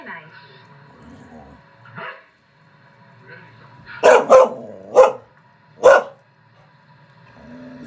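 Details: Indoor Norwegian Elkhound watching other elkhounds on a screen, giving a burst of four loud, sharp barks in under two seconds, the first two close together, with quieter screen audio and murmuring underneath.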